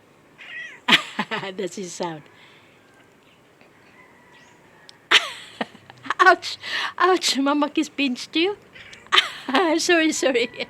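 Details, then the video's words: Domestic pet cats meowing in short, wavering bursts, clustered near the start and again in the second half, with a quiet pause between and people talking alongside. "Miawww sounds of our PreciousFurBabies"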